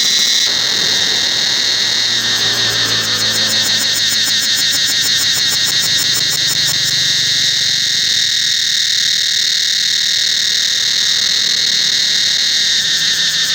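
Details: Forest cicadas at Angkor Wat temple keep up a constant high shrilling, with a quick rattling pulse added from about one to seven seconds and a soft lower hum early on.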